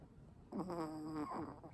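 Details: Sleeping Pomeranian named Ponkichi, whose snoring may come from his tracheal collapse, gives a single humming, whistle-tinged snore about a second long with a slight rise at the end, set against a soft indoor background.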